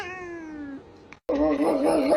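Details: Cat making a drawn-out, slightly falling tonal meow, then after a short break a louder, wavering, whining caterwaul.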